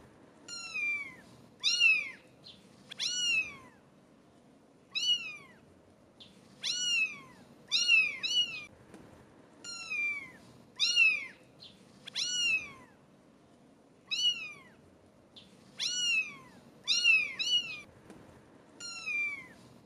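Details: 17-day-old British Shorthair kittens give high, thin meows, one after another in quick overlapping bursts.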